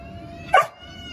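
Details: Rottweiler barking once on cue while being trained to speak on command; one brief, punchy woof, with a steady background hum and a trainer talking nearby.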